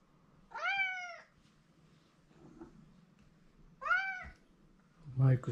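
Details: Pet cat Mike, crying for his owner's attention in a small room: two long arched meows about three seconds apart, then a short burst of a man's voice at the end.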